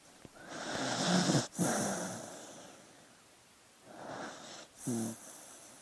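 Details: A dog asleep gives a long raspy snore with a low buzzing rattle, followed after a pause by a softer breath ending in another short low snort.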